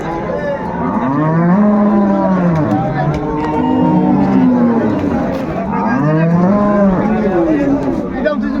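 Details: Cattle at the Ambari market in Dinajpur, Bangladesh, where cows and calves are sold, mooing repeatedly in long, deep, wavering calls, two or three in a row, over crowd noise.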